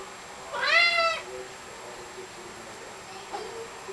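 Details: A 16-pound male Maine Coon cat gives a small, high baby-like meow, one short rising-then-falling cry around the first second, followed by quiet room tone and a faint second murmur near the end.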